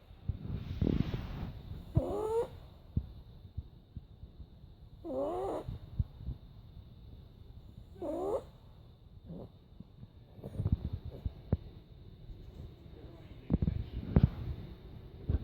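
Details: Pet dog snoring and making odd noises while asleep; squeaky, wavering wheezes come about every three seconds between low, snuffling breaths.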